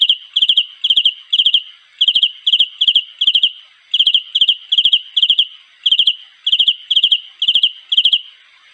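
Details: Cricket. A cricket sings its mating call: short, ringing chirps of four or five rapid pulses, repeated about three times a second. The high, clear trill runs on without pause against a quiet background.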